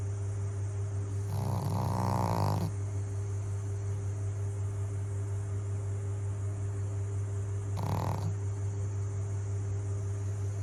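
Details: Sleeping pug giving one long harsh snore followed by a shorter one several seconds later, the breaths rough and broad over a constant low background hum.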